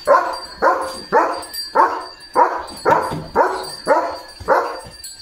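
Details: Leo, a German Shepherd, on a quiet village morning at a farm, barks steadily: about ten sharp, mid-pitched barks in quick succession, roughly two each second, with a faint steady high tone behind.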